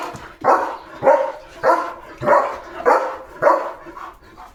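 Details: Leo, a German Shepherd, barks in a flowering home courtyard at morning time: six strong, evenly spaced barks roughly every half second to second, each a single harsh burst, steady rhythm, little other sound.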